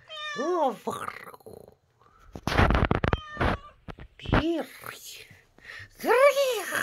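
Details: Stray cat meowing repeatedly: an arched, falling meow at the start, a shorter one mid-way and a long loud arched meow at the end, with a person's speech and handling noises in between.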